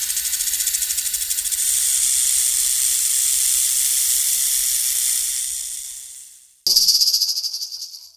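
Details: Loud, sustained hiss from a snake, pulsing faintly in strength, fading away after six seconds before a sharp new burst of hissing cuts in.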